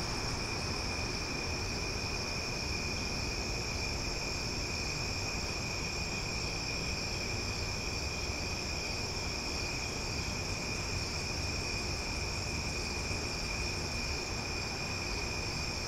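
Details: Loud cicadas at night in Omaha: a steady, unbroken insect chorus of high, even ringing tones with no pauses throughout, over a constant low rumble of distant background noise.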